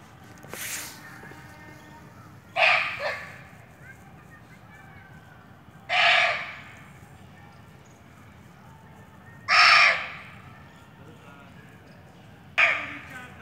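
A barking deer gives short, harsh, hoarse barks, one roughly every three seconds.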